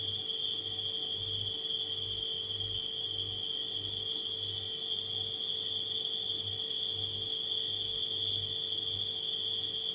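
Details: Crickets at night keep up a level, ringing high trill throughout, while a refrigerator hums beneath with a soft rhythmic low pulse.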